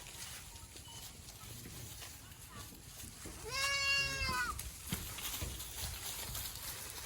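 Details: Boer goat on a village goat farm in Nepal, where local goats are crossbred with Boer stock; a single nasal, wavering bleat of about a second rises mid-recording over quiet farmyard background, with faint human voices nearby.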